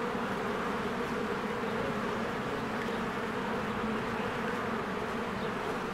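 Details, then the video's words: Spring swarm of honeybees busy at their hive: thick continuous humming of many wings, an even droning texture with steady low tones and no pauses. "1 Hour of a Beehive ASMR"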